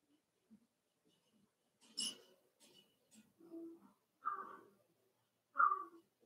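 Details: Several Cavalier King Charles Spaniel puppies at play inside a home puppy pen, giving soft huffs and a noisy snort before two sharp, high yelps spaced over a second apart, with faint growling between.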